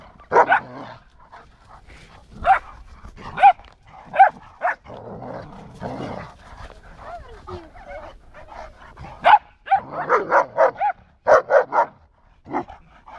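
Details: Border Collie named Diego barking with a neighbouring dog from over the fence: short sharp barks in bursts, some single, some in quick runs of four or five, with quieter gaps between.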